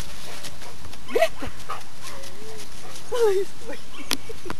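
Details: Training session with Bernese Mountain Dog Mobis, 1.3 years old: a short bark, then drawn-out whining tones and a final sharp bark over faint human voices.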